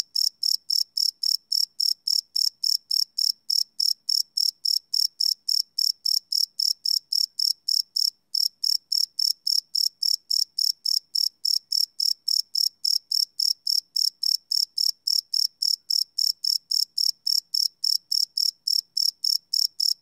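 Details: Crickets chirping after dark, live field recording on a Sony PCM D100 with no loops; continuous high-pitched pulsed chirps at a fast, regular pace, briefly interrupted once near the middle.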